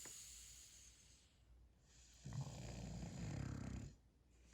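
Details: Sleeping puppy being tickled gives a low, rough snore lasting about a second and a half, a steady rumbling breath after a quiet stretch with faint background hiss.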